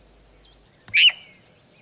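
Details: A sika deer (Cervus nippon), a species introduced to British woodland and heath from Japan, gives a single loud, sharp, high screech of alarm, its warning call when alarmed.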